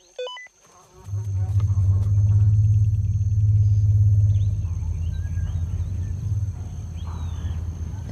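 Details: During a playback experiment with a young male African elephant, a deep, steady rumble lasts several seconds after a few short electronic beeps; he turns his head toward the speaker after an unknown female's call is played.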